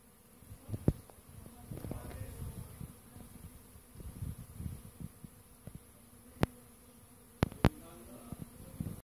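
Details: Western honey bees (Apis mellifera) as a new swarm repopulates an empty hive, after scout bees first checked the area days earlier; a low, soft humming buzz with scattered sharp clicks and knocks.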